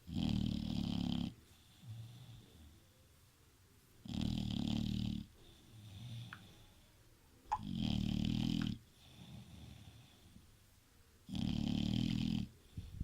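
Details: Bulldog snoring while asleep indoors: four loud, rough, low rumbling breaths about every three and a half seconds, each lasting over a second, with softer wheezy breathing between them.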